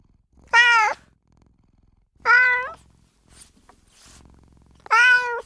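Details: Female cat Margot meowing to attract other cats: three short, strong, level meows spaced about two seconds apart with a faint soft sound between them.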